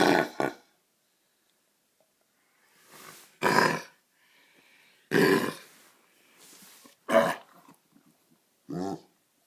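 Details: A Golden Retriever puppy with kennel cough caught from a neighbour's dog, recorded on the first night of illness, gives harsh, hacking coughs in short bursts.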